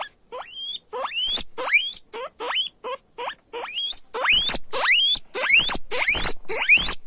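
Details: Guinea pigs squealing loudly: a rapid series of rising whistled squeals sweeping steeply upward, about two per second, some doubled, growing louder and harsher toward the end.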